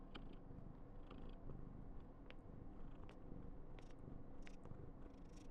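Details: Continuous low purring from Karen, a pet female Somali cat born 19 November 2021, who is being very affectionate. Short faint clicks and rustles are scattered over the deep, even rumble.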